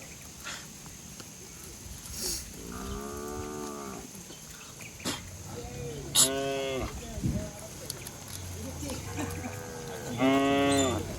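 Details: Village cattle, a herd running and jumping down a green hillside, moo repeatedly. Three clear, rich lowing calls stand out, with softer, fainter moos between them and a steady background hiss.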